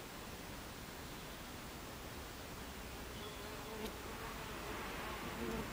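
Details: A crowd of Buckfast bees hums at the hive entrance on the afternoon of 26 July 2013. The even, hissing drone is broken by short, clearer whines of single bees flying by, growing slightly louder toward the end.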